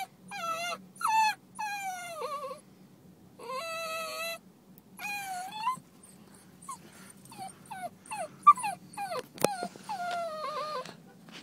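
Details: Basenji dog Libby whines in a parked car, a temper tantrum because her mistress left; loud drawn-out harmonic whines that slide downward, in bursts of one to two seconds, then shorter choppy yips and whimpers, with a steady low hum.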